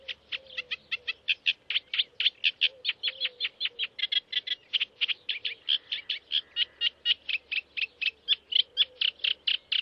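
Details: A stoat family at Leighton Moss in June 2009, watched in the early morning, gives a fast run of sharp, high chirps, several every second, with little pause between them.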